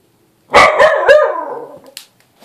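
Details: Small dog shouting at a little Bengal cat with one loud outburst: three quick sharp barks running into a long wavering howl that slides downward and fades over about a second.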